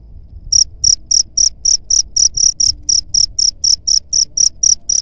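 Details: Cricket chirping, meant as a rat-pest repellent: after a brief quiet start, sharp high-pitched pulses follow at roughly four per second, evenly spaced, over a soft low background hum.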